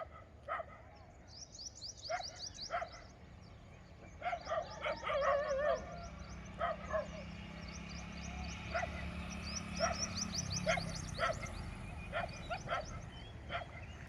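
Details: Group of street dogs barking at anything entering their yard, said to chase away wild boars; scattered mid-pitched barks from several dogs across the clip, with high chirping birds and a low engine-like hum in the background.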